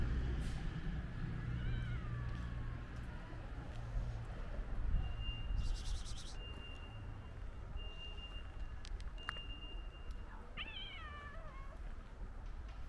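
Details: A white stray cat runs up to a person on the street and gives two short, falling, slightly wavering meows, one near the start and one near the end, over a low rumble of traffic with intermittent steady electronic beeps.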